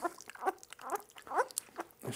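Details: Two-week-old puppy being dewormed with butterscotch-flavored medicine; several short, rising-falling squeaky whines in quick succession amid handling noises and faint clicks.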